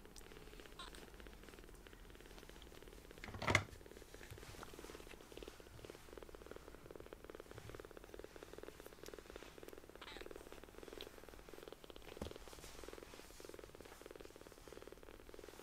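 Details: Newly rescued baby kittens, small enough to fit in a palm, purring loudly while nuzzling up affectionately; a steady, rapidly pulsing throaty rumble runs throughout, with a sharp knock early on and occasional soft rustles.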